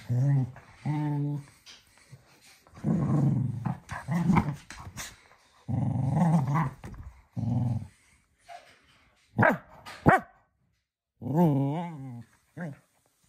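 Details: Rough, low growling from Manfred, a little cocker spaniel romping energetically at evening playtime around 10 pm indoors. It comes in uneven bursts, with a couple of sharp snapping barks midway and a final wavering growl.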